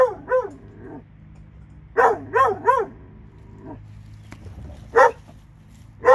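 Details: Alabama dogs, a pair, giving a couple of barks, then a quick trio of loud barks, followed by scattered single barks with quiet gaps between.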